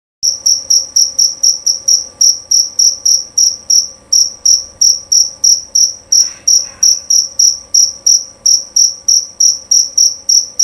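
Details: A male jerabang field cricket gives loud, clear, high chirps, about three each second, in a steady, long-lasting rhythm.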